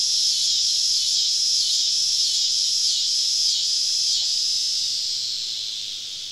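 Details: On a southern summer evening in deep woods, surrounding cicadas produce a loud shrill buzz pulsing in regular throbs about once every second, gradually fading toward the end.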